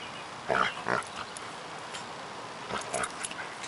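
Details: Pet dogs at play, Zola the pug pestering Jack the longcoated Akita into playing: short gruff growl-like bursts near half a second and one second, then a few more around three seconds, over low steady background noise.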